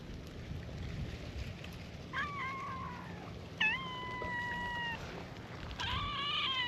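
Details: Free-roaming cats on a cat island meow in a welcoming chorus at their gathering. Three separate meows: the first and second bend downward and then hold steady. A brighter, louder cry follows after a short pause.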